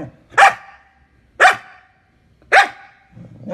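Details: An angry dog gives three sharp, loud barks spaced about one second apart, each a short burst with a brief tail, and the gaps between them are quiet.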